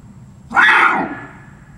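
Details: Captive barasingha at Seoul Grand Park Zoo, South Korea, recorded 6 December 2021: a single loud, harsh, braying call lasting about half a second, with a faint low background hum.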